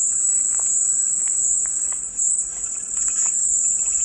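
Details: Steady, piercing cicada drone, a continuous high electric hiss presented as soothing white noise, with a brief dip in loudness midway and faint short chirps in the background.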